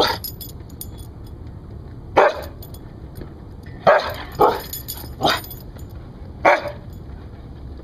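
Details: A rescued Siberian Husky shows off its guarding bark: about six sharp barks, a single one first and then a quicker irregular cluster, over low background hum.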